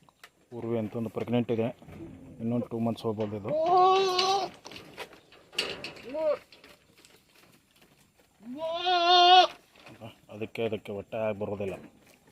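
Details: Tellicherry goats on a farm bleating: quavering, stuttered low bleats in short bursts alternate with two longer, higher, drawn-out cries, about six calls in twelve seconds against a quiet rural background.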